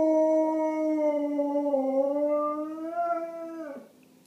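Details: Pet dog answering other dog sounds with a sustained tonal howl, smooth and slightly wavering, dipping then rising before breaking off abruptly near the end.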